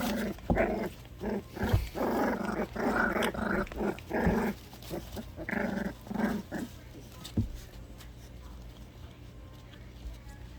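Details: Loki and Lola, orphaned puppies four weeks old, tussle in play before bath time. A quick run of short, throaty growls and grumbles fills the first seven seconds, with thumps between them, before it fades to quiet.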